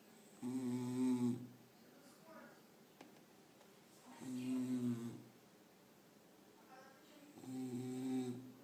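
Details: A sleeping pet dog snores in three slow, rasping, droning breaths, roughly one every three and a half seconds, with quiet pauses between them in a small indoor room.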